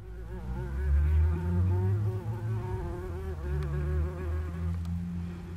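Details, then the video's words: Red-tailed bumblebee recorded on 20 July 2018: a low, droning buzz with wavering harmonic tones that rise and fall, swelling louder around the first second and staying continuous throughout. "Trzmiel Kamiennik (Bombus lapidarius)"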